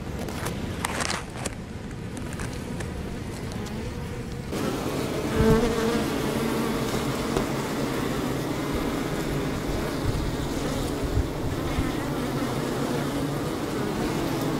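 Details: Honey bees drinking from a leaky hose and fanning the hive: after a muffled, rumbling start, a sustained harmonic buzz swells and holds for the rest, with a loud bee passing close.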